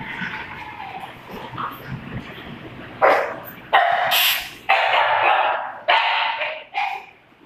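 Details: Doberman and pug playing together; after a quieter opening, loud sharp barks come in short bursts roughly once a second, each bright and broadband, with faint background noise between them.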